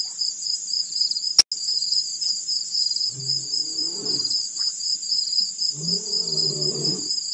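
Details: Male lion at Pete's Pond, Mashatu Game Reserve, Botswana, 4 December 2016, roaring after rolling in the dirt: two deep, harmonic, moaning calls a few seconds apart, with a sharp click early on and a constant high insect chorus throughout.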